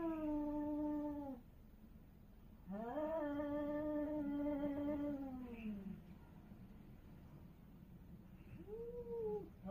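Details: Street cats in a territorial fight: a low held moan, then a longer rising-and-falling yowl after a pause, and finally a short arched cry, with faint background hum.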